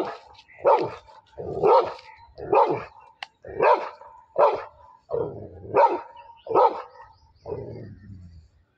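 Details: Labrador Retriever in a fight with a buffalo, barking rapidly and unevenly, about nine harsh barks in quick succession, the final one trailing into a lower rough sound.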